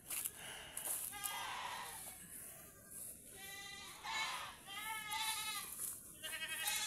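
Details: Tethered farm goats grazing as rain seems to be coming: a series of shaky, vibrato bleats, one after another with short gaps, the later ones louder, over background music.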